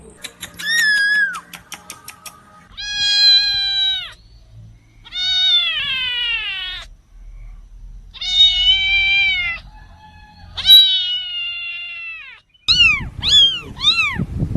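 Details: Newborn kittens meowing: a series of drawn-out, harmonic mews with wavering pitch, separated by short pauses, ending in several quick, high, arching cries. Faint low rustling sounds underneath.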